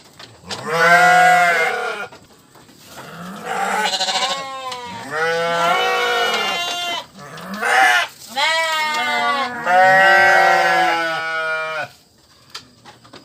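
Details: Sheep calling repeatedly: a series of wavering, nasal bleats of varied length, some overlapping with a second voice, with short silences between bursts and a quiet stretch at the close.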